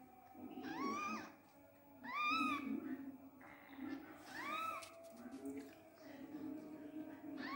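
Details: Newborn Persian kittens, abandoned and not nursed by their mother, mew in thin, high, rising-and-falling cries, several overlapping.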